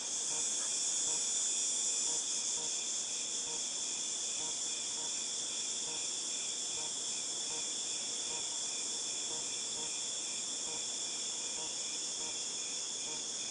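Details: Cicadas during August 2018 produce a long, even, piercing drone resembling tinnitus, briefly brighter in the first two seconds, with quick faint pulses running steadily underneath.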